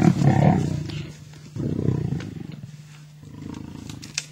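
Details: Two male lions fighting over a kill on an African safari, tugging at the carcass; deep rumbling growls in bursts, fading toward the end, with faint music behind.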